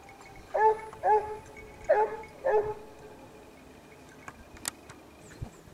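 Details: Several Basset Hounds following a scent trail. Four resonant, drawn-out bays arrive in two pairs about a second apart, followed by a quieter stretch with scattered clicks and faint rustling.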